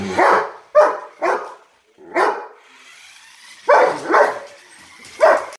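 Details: A German Shepherd barking at a monster truck gives loud, gruff barks in irregular bursts of two or three, with short gaps and a low background rumble between them.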